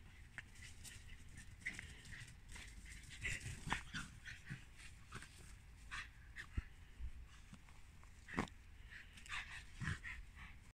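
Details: A Shiba Inu at play makes soft grunts, snorts and brief yips in short, irregular bursts.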